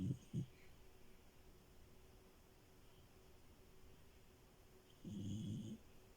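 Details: Milo, a female French Bulldog, asleep in bed, gives two quick low snorting snores at the start, then quiet breathing, then one longer rumbling snore near the end.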